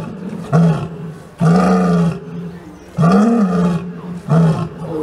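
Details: Roaring lion giving four low, sustained moaning roars, steady and deep, separated by short pauses, with faint background hiss.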